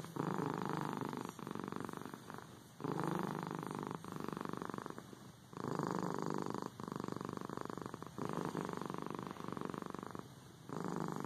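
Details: Close, loud cat purr running in long rhythmic waves, each buzzing phase about one to one and a half seconds, broken by brief dips as the cat breathes in.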